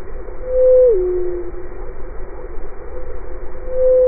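A blue whale call, sped up into a steady hum that drops to a lower tone and then repeats.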